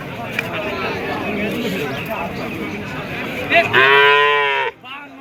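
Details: A loud, full-throated moo from cattle at a cattle market selling small bulls: one rich, harmonic bellow of about a second near the end, cut off sharply. Before it, a steady murmur of market voices.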